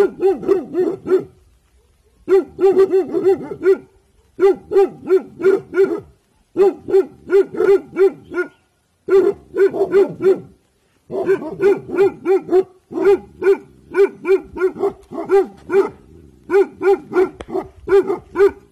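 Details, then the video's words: Guarding in evening time, the Bhotia dog Dabu Goli gives alert barks in fast bursts of four to eight, separated by short silences, continuing steadily throughout. "Bhotia dog Dabu Goli Alert guarding in evening Time"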